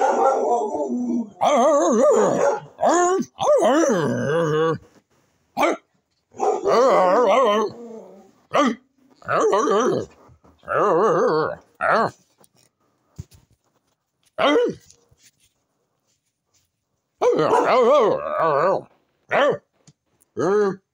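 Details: Pet dog that wants a cow's skull, giving drawn-out, wavering, moaning vocalizations in bursts of a second or two, separated by short silent gaps, over about twenty seconds indoors.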